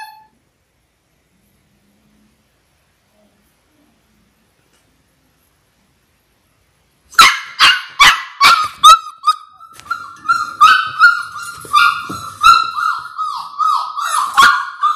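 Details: Six-week-old Labrador Retriever puppies, a litter of six born January 18, 2022, on a live puppy cam: after seven seconds of silence, sharp yappy barks burst out, followed by continuous high whining and squeals.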